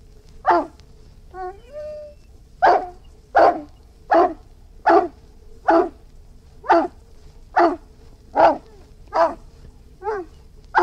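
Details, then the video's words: An Irish Wolfhound gives a brief high whine, then a long run of about eleven gruff barks roughly every 0.7 seconds. A low constant hum sits in the background. "Irish Wolfhound Barking"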